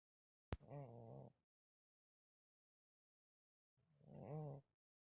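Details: Malysh, a domestic cat, snoring again while asleep in a village on 4 December 2024: two rasping, buzzy breaths about three seconds apart, each low and throaty with a wavering tone, and silence in between.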